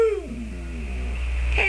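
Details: Domestic dog prompted to say hello gives a short falling whine, starting high and gliding down into a soft moaning tone that fades, with a steady low hum underneath and a brief human sound at the close.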